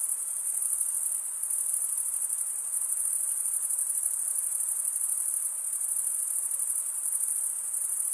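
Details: Continuous shrill cricket chorus, the stridulation of males scraping serrated wing veins together, a steady high trill with only slight swells in loudness and no other animals or voices.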